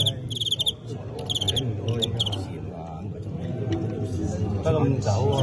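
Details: Fighting crickets in a staged bout between Teng County and Qingyuan insects: clusters of short, high, pulsed chirps repeated in quick bursts over loud Cantonese men's talk and crowd noise.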